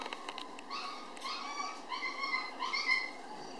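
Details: Toy poodle puppies nursing from their mother near weaning age, still preferring her milk; faint, thin, high squeaky whimpers with a few soft wavering notes, over a quiet background.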